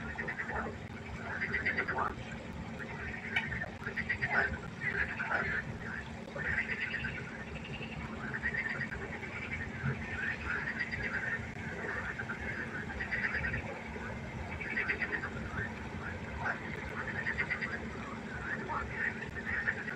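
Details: Frogs croaking after dark beside a pond, a softer, more distant chorus of pulsed calls in steady overlapping bursts throughout.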